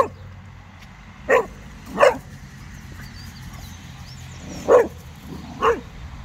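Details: Casper, a Cocker Spaniel dog in a park, barking while freaking out at a very small snowman, tail wagging; four sharp barks in two pairs over a low background hum, with faint high chirps in the distance.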